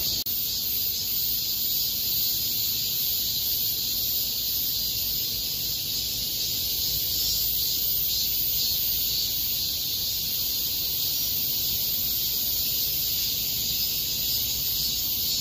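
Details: Cicadas in a park during August 2021 keep up an unbroken, piercing high-pitched drone with a loose pulsing rhythm throughout, with faint low background rumble.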